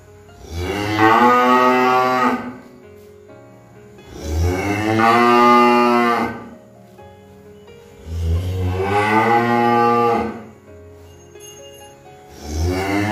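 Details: Cow lowing repeatedly: four long, harmonic moos about every four seconds, each starting low, rising and holding a bellowing tone for roughly two seconds, with short quiet gaps between.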